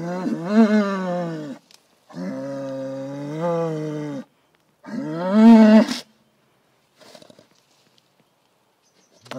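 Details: A bull giving sustained, rich harmonic bellows, the middle one rising and falling in pitch, followed by quiet with a few faint rustles.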